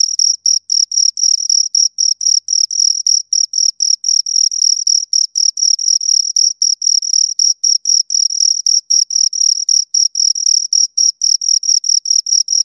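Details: Two crickets stridulating near the microphone, producing a continuous series of sharp, high-pitched chirps in quick succession, nearly four a second, with a faint upper overtone and no background noise.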